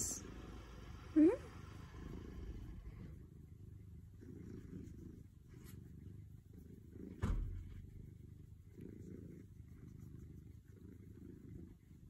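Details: Pet cat purring, a low rumbling pulse that swells and fades in even bursts about every one and a half seconds, with a short high squeak near the start and a single sharp knock partway through in a quiet room.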